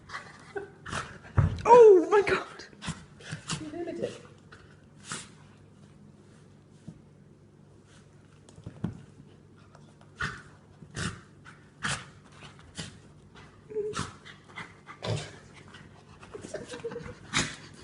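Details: A rescued pet dog with cancer in a spinning sneezing fit: short, sharp, explosive sneezes, a scattered cluster early, then a quick run of about one per second in the second half, while a woman talks and exclaims over the first seconds.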